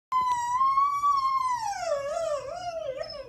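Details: A dog howling at the moon gives a long, steady howl that holds its pitch, then sinks and wavers toward the end.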